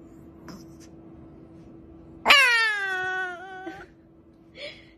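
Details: Siberian Husky giving a single drawn-out, tonal cry lasting about a second and a half, starting sharply then sliding gradually downward in pitch, with a steady low hum and faint clicks before and a brief short sound after.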